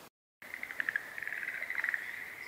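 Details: Spring chorus of Schlegel's green tree frog, Showa Kinen Park, 10 April 2021, stereo: a steady trilling band with pulsed rattles, after a brief silent gap at the start.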